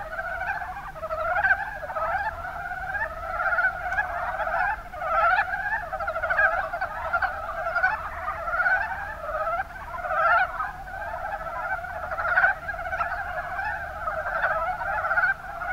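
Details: Mountain brown frogs calling in Japan's Kuma Basin, Kumamoto: a dense, continuous chorus of short, clucking, pulsed croaks overlapping from several frogs, in mid-pitched bursts with no pause, over faint low background hum.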